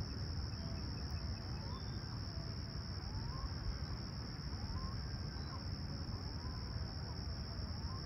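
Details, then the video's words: Summer sunrise chorus of crickets at Humber Bay Shores, Toronto, on July 28, 2020, calm and clear at 20ºC. A constant high-pitched ringing trill runs over deep background rumble, with faint short rising chirps scattered through the middle. "Serene Summer Toronto Morning With Chirping Crickets"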